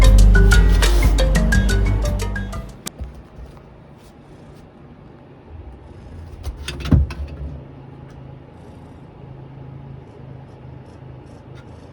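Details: A few seconds of tonal music open the recording, followed by a low steady mechanical hum and one sharp knock near the seventh second.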